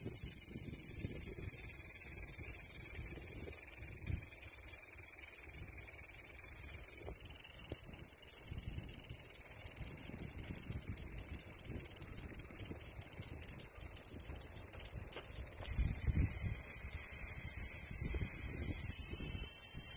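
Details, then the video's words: Cicada song: a dense, unbroken high-pitched buzzing drone holding steady for the full twenty seconds, swelling slightly at times, over faint low rumbling background noise. "Cicada Sound"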